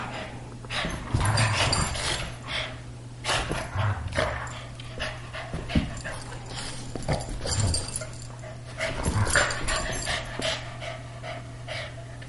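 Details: Pet greyhound and Boston terrier playing together, as they do almost every day; irregular bursts of rough growling and grunting with scuffling noises, separated by brief pauses, over a steady low electrical hum.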